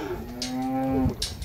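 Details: Calves in Campeche, Mexico, recorded 20 August 2022: one steady, low, level moo held for nearly a second, then cut off abruptly, with faint background noise.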